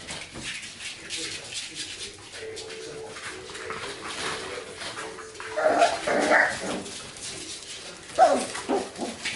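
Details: Playing golden retriever puppies of one litter give scattered high squeals and whimpers, with sharper yelps near six and eight seconds, over a steady hum of people talking nearby.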